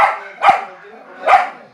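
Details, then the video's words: Frightened dog barking very loudly at another dog: three rough barks, the last two spaced under a second apart, each with a sharp onset and a quick fade. "Dog barking very loudly afraid other Dog"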